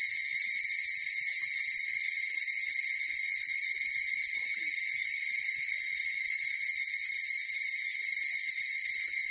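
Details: Many Tanna japonensis, the higurashi or evening cicada, singing in a pre-dawn chorus around 4:30–5 a.m. in Uda, Nara, Japan; continuous dense high ringing with faint shimmering pulses and very quiet background.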